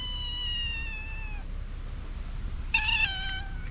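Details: Mother cat and kitten, hungry, meowing loudly for food: two loud, drawn-out meows, the first slowly falling over about one and a half seconds, the second shorter and rising then falling, with a steady low background rumble.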